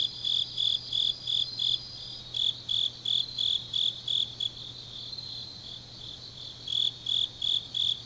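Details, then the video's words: Chorus of grass insects at night in autumn, Changnyeong, South Gyeongsang, South Korea. Piercing chirps pulse about three per second. A thin, continuous high trill from another insect sounds early on, and a low hum stays faint. "깊은밤 가을 풀벌레 소리"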